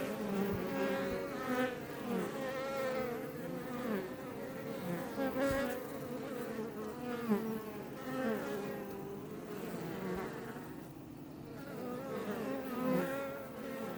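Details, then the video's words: Close-up of Iberian honey bees around a Langstroth beehive west of Roquetes, south Tarragona, Catalonia, Spain: continuous layered humming from many bees, pitches wavering as individuals pass near and away. "Bees Healing Sound Effect HD - Up Close"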